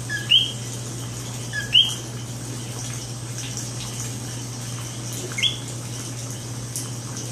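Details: Common coqui (Eleutherodactylus coqui) in San Juan, Puerto Rico, calls a loud two-note 'co-qui', a short low note jumping to a higher rising chirp.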